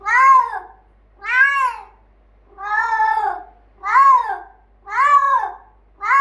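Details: Male Bengal cat Finley, rebuffed by his cat sister Leyla when he wants to play, lets out a series of loud, arched meows, about six in a row, roughly one per second, rising then falling.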